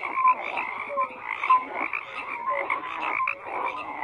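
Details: A chorus of frogs keeps up continuous croaking, rough rattling calls layered over one another, with brief clear whistled notes rising above the din now and then.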